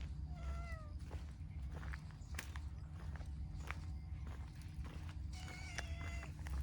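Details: Affectionate, talkative dilute calico cat meowing: a short rising-falling meow near the start, then another at the end, over a steady low rumble with scattered clicks and footsteps.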